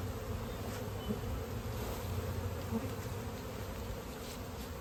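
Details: Bee-farm honey bees in rural India buzzing steadily around the hives as honey is gathered; an even, low, throbbing drone with a few soft knocks.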